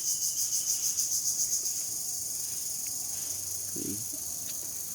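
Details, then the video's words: Crickets chirping outside on an afternoon toward sunset: a sharp high trill with distinct rapid pulses for the first two seconds, then settling into a steady ringing drone, with a faint short low sound near the end. "ঝিঁঝিঁ পোকার ডাক"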